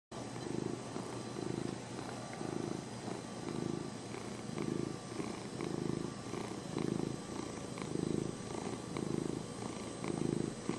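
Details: A cat named Lenny purring steadily, a low rumbling vibration swelling and easing with each breath, roughly one cycle per second, close and continuous with faint background hiss.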